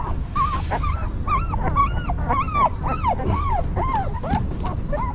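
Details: A stray mother dog tends her newborn puppies while they whimper in quick succession. The wavering, bending squeals come roughly every half second over a dull low-frequency rumble.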